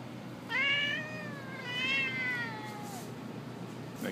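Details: Domestic cat indoors while a kitten plays with an older cat: two drawn-out, wavering meows, the second longer and slowly falling, with a person's voice heard around them.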